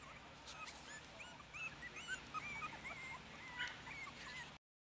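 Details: Five four-week-old Yorkshire Terrier puppies eating a mix of puppy milk and ground puppy food from a dish: a busy stream of high, short squeaky whimpers and yips overlapping, with soft eating and background noise.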